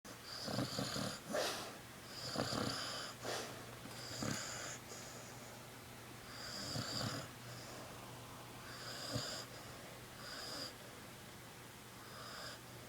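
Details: Sleeping puppy snoring indoors: irregular bursts of wheezy, whistling snores, some short and some drawn out, with quieter pauses between breaths, over a steady low electrical hum.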